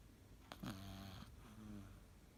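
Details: A napping Cavalier King Charles Spaniel named Elu gives one drawn-out snore: a rough, droning inhale with a low humming tone, then a softer trailing breath, in a quiet room.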